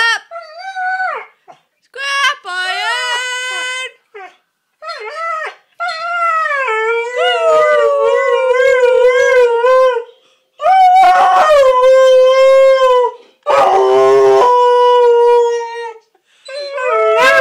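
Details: An 8-month-old Siberian Husky puppy howls in long, wavering, yodelling tones, answering a man's call, howling to the scrap man.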